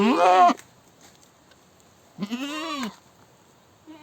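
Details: Goat screaming: a loud, harsh half-second bleat with many wavering harmonics, then a second quavering cry rising and falling after a pause, and a faint short start at the end.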